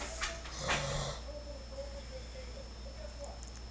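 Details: Shar Pei dog crying to go out: after a few short knocks and scuffs, a thin, high whine holds steady and wavers slightly for about two seconds before fading.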